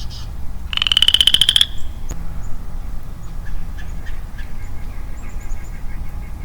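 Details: Single rising, rapidly pulsed creaking trill of about one second from a lonely male Western Chorus Frog in early spring woodland, followed by quiet with faint scattered bird chirps and low rumble.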